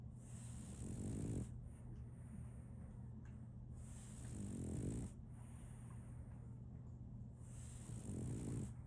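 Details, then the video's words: Solaimy, a female French Bulldog puppy, snoring while asleep: three rough, breathy snores about three seconds apart, each a swelling low rasp, over a steady low electrical hum and faint high hiss. "RONQUIDO de un French Bulldog"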